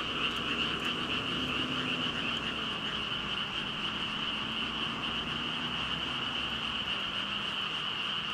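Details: About 5,000 frogs calling at once, recorded on a Rode VideoMicro: a dense, high croaking chorus runs throughout, over a faint lower droning hum and a few scattered clicks.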